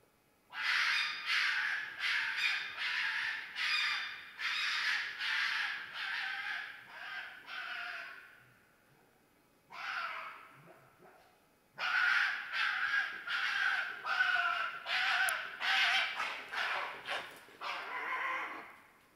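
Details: Red fox screaming in mating season: harsh, raspy, hoarse cries in two long runs, each cry about a third of a second, roughly two per second, with a pause midway; quiet background.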